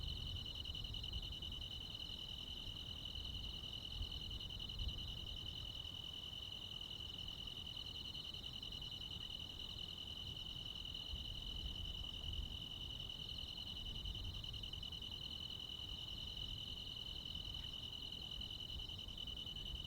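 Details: Midsummer night chorus of crickets and other insects in the countryside, a steady shrill buzz of rapid pulses holding one high pitch without pause, with a soft low rumble underneath.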